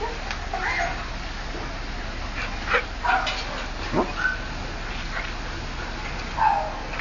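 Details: Domestic dog, excited at seeing another dog walk past, recorded 30 Oct 2008; a few short whiny yelps and whimpers scattered over a steady background hiss, with low voices murmuring.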